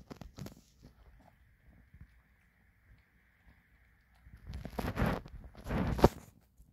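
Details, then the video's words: Maltese dog eating kibble: a brief crunchy burst at the start, a quiet stretch with a faint steady high-pitched hum, then loud, dense crunching from about four and a half to six seconds. "말티즈의 사료씹는소리"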